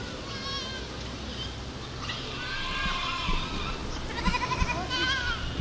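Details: Goats bleating, several harmonic, wavering bleats overlapping in the second half, with a steady low background rumble.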